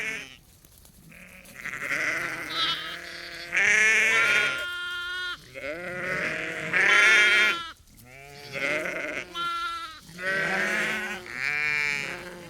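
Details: Chorus of about 30 to 50 ewes and lambs on a sheep farm calling back and forth: nearly continuous overlapping bleats, deep ewe voices mixed with higher tremulous lamb cries.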